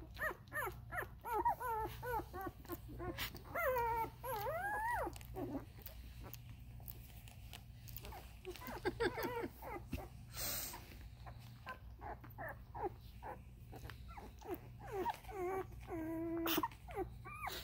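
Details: A litter of 13-day-old Vizsla puppies belonging to Ruby, whining with quick squeaky yelps and longer wavering whimpers, some rising steeply, in uneven runs, a short sharp click near the end, low hum throughout.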